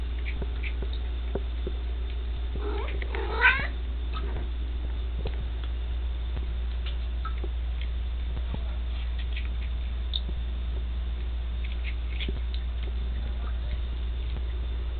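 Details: Chewy, a pet cat, eating ants in a bathtub indoors; a single short meow rises and falls, then fades to a steady low hum with faint scattered taps and clicks.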